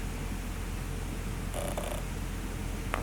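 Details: A kitten on a mountain homestead in western Wyoming purrs in a steady, low rumble throughout, with a brief rustle partway through and a sharp click near the end.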